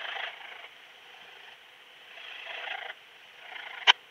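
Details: Raymond's bush-cricket at Lido di Spina, Italy, 3 September 2021, heard via a Pettersson D 100 ultrasound detector after noise removal: rasping, hissy buzz phrases lasting up to a second, ending with one sharp tick.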